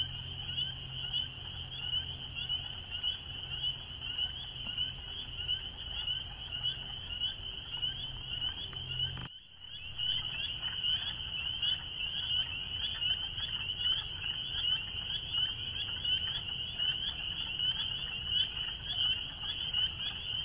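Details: Chorus of spring peepers, a constant high-pitched peeping from many frogs at once, briefly cut out by a short gap midway before resuming just as dense, over a low background rumble.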